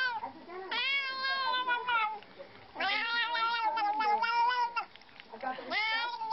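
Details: Cat making weird noises: three long wavering meow-like cries, each rising then bending and falling, rich in overtones, separated by short quiet gaps, recorded indoors.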